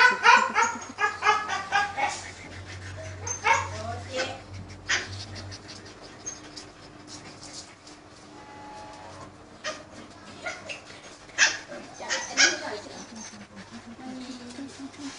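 A Thai Bangkaew dog barks in short, sharp bursts, with human voices and a low hum behind.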